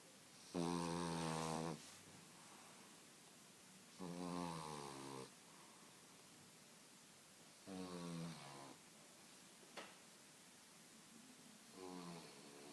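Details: A 9-month-old French Bulldog snores in loud, rattling bursts, each lasting about a second.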